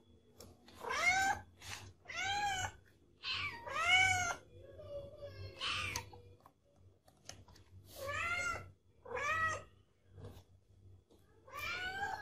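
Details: Domestic cat meowing repeatedly, a series of rising-then-falling harmonic meows roughly every one to one and a half seconds, some short and some drawn out, with a faint low hum beneath.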